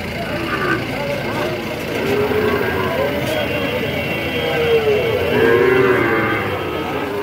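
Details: At the Ambari haat in Dinajpur, 18 September 2023, Sahiwal bulls and calves kept for fattening give drawn-out, even-pitched lows midway and again near the end. Market voices and vehicle noise fill the background.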